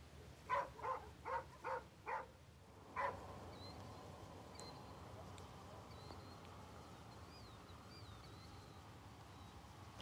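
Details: A distant dog gives a quick series of five sharp barks, then one more after a pause, heard at night at a rural wetland roadside stop during a Texas frog-call survey.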